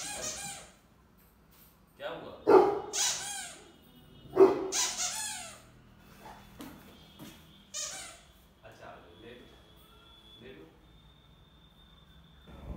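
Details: Rottweiler puppy reacting to a toy indoors: a few short harsh barks and yelps near the start, spaced about two seconds apart, followed by quieter rustling and faint speech in a small room.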